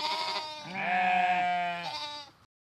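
A sheep gives one long, wavering bleat of about two seconds, nasal and harmonic-rich, dipping slightly then rising before it cuts off.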